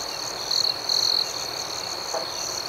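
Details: Crickets at night, a steady high-pitched trill with a faster pulsed chirping layer above it, interrupted by two brief louder bursts of the same shrill tone around the middle.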